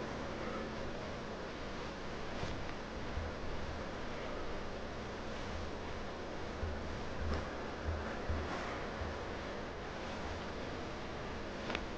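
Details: Steady low indoor hiss with soft rustling and scattered faint ticks and clicks, and no animal voice.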